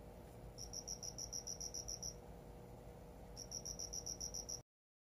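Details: Cricket kept indoors and given a new home, singing two longer high-pitched trills of about ten evenly spaced pulses each, separated by a short pause, with faint low room hum beneath; the sound then cuts to silence.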